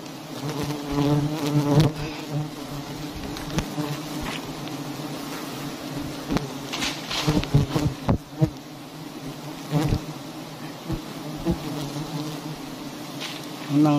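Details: A dense honeybee colony hums at a very large hive hanging from a tree in a palm garden. The low, even buzzing drone runs throughout, cut by frequent sharp clacks and handling noises and a few soft thumps.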